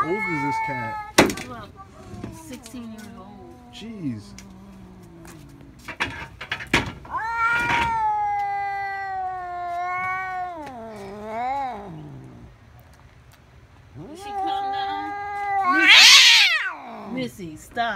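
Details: A 16-year-old pet cat that dislikes its owner's son utters several long, wavering meows spaced a few seconds apart, ending with a shrill, strained yowl. Clicks and soft voices are heard between them.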